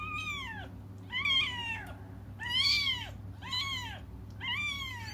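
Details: Cats crying as they wait for their mother: five plaintive arched meows repeated roughly once a second, each swelling then dropping away. A steady low hum lies beneath.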